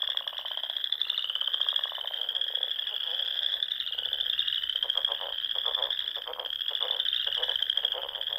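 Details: Frogs in full spring chorus at a Sandhills pond in Nebraska at dusk: an unbroken high trill band overlaid with lower, quickly repeated clicking croaks that grow denser in the second half.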